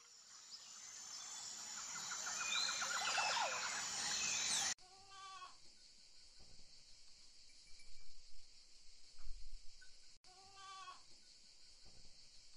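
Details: Two wavering, quavering goat bleats several seconds apart follow a stretch of broad hissy noise, with faint low rustles and thuds between the calls.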